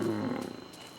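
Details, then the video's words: A male African lion roars at night in Botswana, a deep, harmonic roar that fades quickly, telling other lions this is his turf, with extra "oomph" because he is with a mating female. "THAT IS A LION ROAR. HE DOES IT TO TELL ALL THE OTHER LIONS THAT THIS IS HIS TURF."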